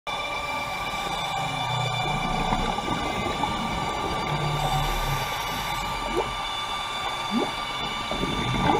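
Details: Humpback whale passing divers at the Carthaginian Shipwreck off Maui, Hawaii, recorded underwater: low droning moans near the start and middle, then short rising upswept chirps late, over steady tonal hum and water noise.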